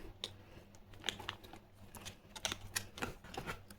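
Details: Quiet indoor room with soft irregular clicks and crinkles like handling a parcel, a faint low hum beneath, and no animal voices.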